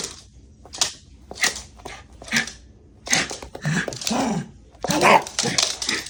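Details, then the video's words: Shiba Inu named Haru, worked up and going wild indoors, gives short harsh, noisy bursts with a rough low undertone. The bursts come in uneven clusters roughly every half second to a second, separated by brief quiet gaps, in a small room. "I MADE MY DOG MADDD!!! 柴犬が暴走するとき"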